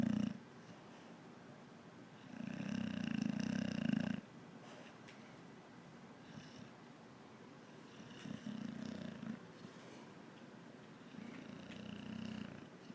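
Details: Very big boxer dog sleeping through the day, loud raspy snores in long rumbling bursts roughly every four seconds, low and buzzy with quiet pauses between breaths.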